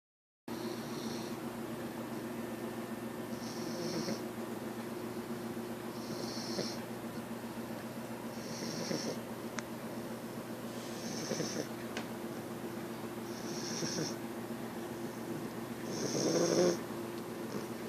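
An English Bulldog puppy snores in a steady rhythm, with a raspy, wheezy breath about every two and a half seconds.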